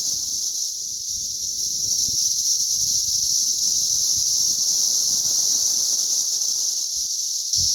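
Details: Mass cicada hatch, May 20th 2034: a continuous high buzzing wall of sound from many insects, constant in loudness, with light rustling and faint low knocks underneath and a brief bump at the very end.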